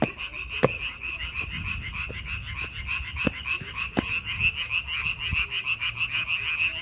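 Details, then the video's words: A dense frog chorus in May, with many rapid, pulsing croaks merging into a continuous high trill, and several sharp clicks or taps scattered across the recording. "5월 개구리 소리"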